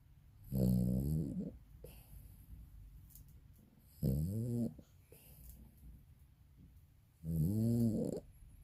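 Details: Elderly Maltese, 22 years old, snoring while sleeping in a humanlike way: three rumbling, vibrating snores roughly every three and a half seconds, each about a second long, with soft breathing between them.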